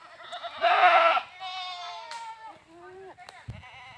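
A goat lets out a loud, strained bleat with a rough, quavering edge. Shorter, higher bleats follow, each sliding downward, with a brief clatter near the end.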